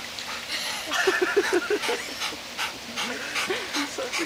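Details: Dog alone in a pool and scared, giving a quick run of short, high yelping whimpers, then scattered rising whines, over splashing water and a person's voice.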